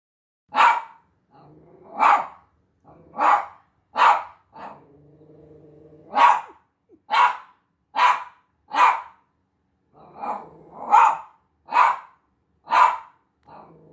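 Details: Havanese dog barking at the sight of himself on a TV screen indoors: a series of about eleven sharp, loud barks spaced roughly a second apart, with a low droning, humming tone audible in the gaps between barks.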